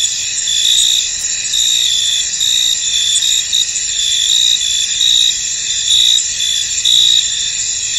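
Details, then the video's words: A misty field is full of cricket song: a thick high-pitched drone with a clearer chirping trill returning about once a second, uneven in spacing, and no other sounds. "Tranquil Cricket Sounds In An Misty Field"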